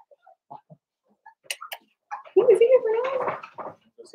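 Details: Blenheim Cavalier King Charles Spaniel puppies at play with their mother indoors; faint clicks and scattered soft sounds, then a loud wavering whine rising and falling for about a second and a half.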